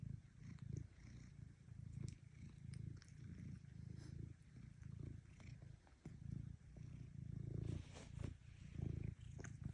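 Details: Low rumbling cat purr pulsing with each breath, somewhat uneven, mixed with frequent small clicks and rustling noises throughout.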